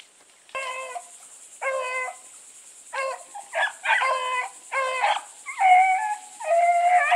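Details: Several Bluetick hounds running with Sassy, loud ringing bays with rich harmonics, overlapping voices. Short chopped bays give way to longer, rolling, slightly falling howls near the end, with a steady high hiss behind.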